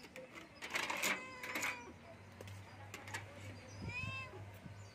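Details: A Persian kitten for sale gives high, thin meows, a couple near the start and a rising one near the end, with clattering clicks and a low background hum.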